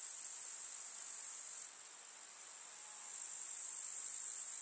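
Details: Chirring of grasshoppers in a rural summer meadow: a steady, shrill, high buzz that drops to a softer level partway through, then builds back to full strength.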